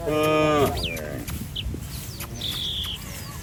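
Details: One brief, bright moo opens the recording from a cattle herd wandering along a street, then fades into a steady hum pierced by thin, sliding bird chirps and a long high whistle.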